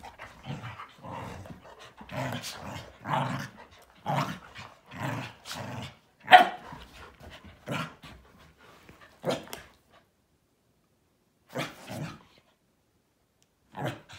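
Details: Morning playtime among three dogs, a Malinois, an Akita and a Corgi, tangling together; short gruff barks and growly grunts come in quick bursts about once a second, then thin out into a few isolated barks with quiet gaps.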